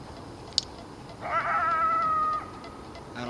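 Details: A coyote, one of several surrounding the spot from a distance on the evening of January 10 around 6:20 p.m., gives a single steady, drawn-out howl held on one high note for about a second.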